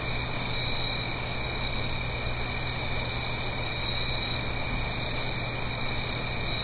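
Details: Autumn night chorus of crickets in the Blue Ridge Mountains above a gentle stream, stereo recording; continuous shrill trills hold steady in stacked bands, joined briefly by a faint higher buzz midway, over a soft low hum.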